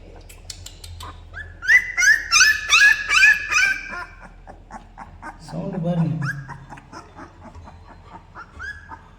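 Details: Newborn Labrador retriever puppies at thirteen days old: high, thin squealing whines in a rapid series, then a lower moaning whimper and softer scattered squeaks.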